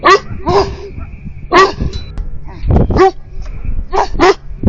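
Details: At 2 a.m., livestock guardian dogs bark back at coyotes riled by a noisy goat: rough barks about every second, several with a tonal, yelping edge, against low rumbling noise.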